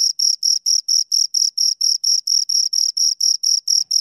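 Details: Two crickets give fast, metronomic high chirps, around sixteen pulses in four seconds, each a bright rasping burst separated by brief silence; background otherwise silent.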